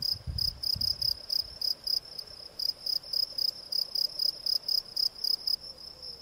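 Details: Shrill repeated chirping of a field cricket, Gryllus campestris, about three and a half chirps per second, bright and evenly spaced, with a brief low rumble at the start.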